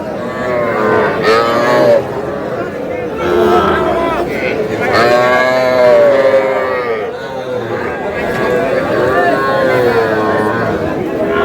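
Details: At a Comilla cattle market in Bangladesh on 21 July, heifer calves and young bulls give long, bending moos, a strong one near the middle and others after, while buyers and sellers talk loudly nearby.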